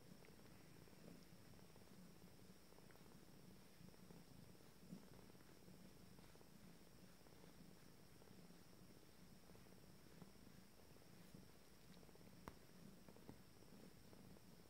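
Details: A soft, low purr runs through this stretch from Abyssinian kittens of a first litter at 19 days, starting to play; the rumble is fairly even and quiet, with occasional faint clicks and rustling.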